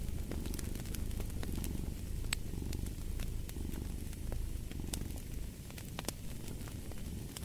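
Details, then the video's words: Low, throbbing cat purr in regular in-and-out pulses, slightly quieter near the end, mixed with intermittent snapping crackles from a fireplace. "Fall asleep to the Purring of a Cat & Fireplace"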